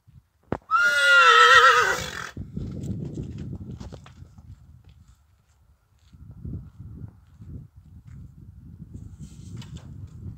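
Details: Stallion neighing as a mare is brought to him for covering: one loud, wavering whinny of about a second and a half near the start, then hoof clatter, shuffling and low farmyard noise.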